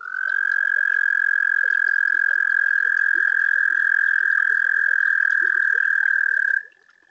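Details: Toad singing at a garden pond on a warm spring night, picked up by a pond webcam: one long, steady, high musical trill held for about six and a half seconds, then cut to a quieter continuing trill, with faint scattered clicks and chirps behind.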